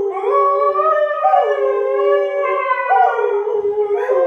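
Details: A Siberian husky gives a long, sustained howl that holds steady with a few small pitch steps. An English springer spaniel was annoying it, setting off howling with two springer spaniels.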